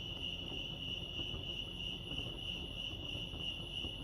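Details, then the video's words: Brief stretch of crickets chirping at Lake Arrowhead, California: a rapid, even, high-pitched pulsing trill, steady throughout, over muted low ambient noise. "Serenity sounds crickets chirping lake arrowhead"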